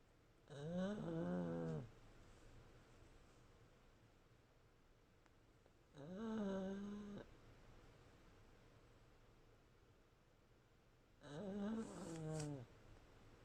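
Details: Sleeping pug at home, one of three flat-faced household dogs, snores in slow rasping breaths: three loud, buzzy, harmonic-rich snores roughly every five seconds, separated by quiet indoor pauses.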